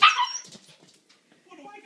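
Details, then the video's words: Siberian Husky puppy, female, waiting to eat, giving a short high yelping call in the first half second, followed by quieter faint sounds and a woman's voice nearby. "siberian husky puppy waiting to eat"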